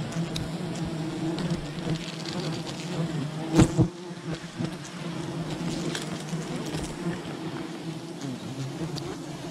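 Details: Wild bee colony during honey hunting, a softer, even buzzing hum with a heavy knock and rustle just before four seconds, then the steady drone carries on.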